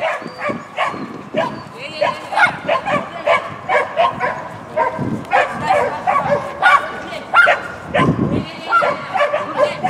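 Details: Shetland Sheepdog at a tunnel competition, 19 December 2015: short, sharp barks spaced irregularly, roughly one every second or two, with people talking throughout and a busy, reverberant background.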